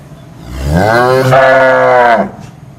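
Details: A cow mooing: one long, deep, harmonic moo that rises in pitch at the start, then holds steady for about one and a half seconds before ending abruptly. No other sounds stand out.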